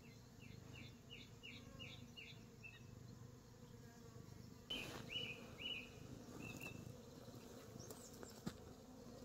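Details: Bees around Reg the cat on an orchard in New Zealand: a steady low droning hum runs throughout, while a small bird repeats quick high chirps in a rapid series, then a few sharper chirps later.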